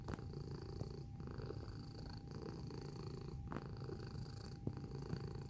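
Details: Close-up of a cat purring: a continuous low rumble that swells and eases in breath-length pulses of roughly a second, with a faint steady tone and occasional small clicks in the background.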